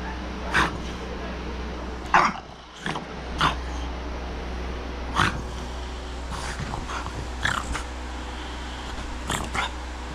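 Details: Jax, a French Bulldog, gets mad and throws a fit indoors when his owners try to lie down on the bed. He gives short, sharp bark-like bursts about every one to two seconds over a steady low hum, with people talking in between.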